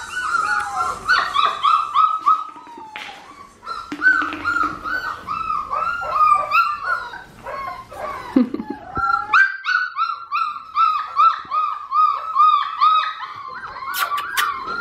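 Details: Australian Shepherd puppy from a four-week-old litter kept on a farm, giving high, thin whimpers and yips in rapid, wavering runs, almost continuous, with short pauses near three and nine seconds.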